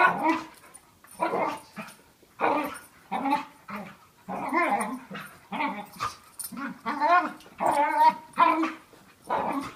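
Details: Rough play fighting between two dogs, one a year old and smaller, the other five and heavier; a long string of wavering, moaning growls and whines in quick bursts, roughly one per second.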